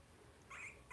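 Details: Young blenheim Cavalier King Charles Spaniel puppy from a litter of five, born at New Year's, in an indoor puppy pen during potty training; a brief high, thin squeaky whine rises twice, with faint room noise around it.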